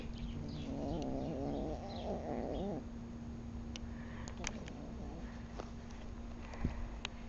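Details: Precious, a male domestic cat fed alongside Salem and Lee, growls over his food. A rough, wavering growl lasts about two seconds, then fades into clicks and rustling, with a constant electrical hum.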